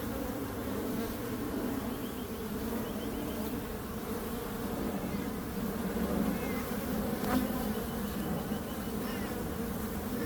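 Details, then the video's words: A dense, unbroken buzz of many bees. The hum grows a little louder after six seconds, with a brief click-like spike around seven seconds. "Relaxing Calming Bees Sound"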